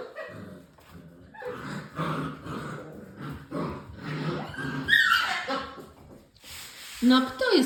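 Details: English Springer Spaniel puppies from one litter, six weeks old, giving short whimpers and yelps, ending in a rising whine, while a person talks to them in Polish.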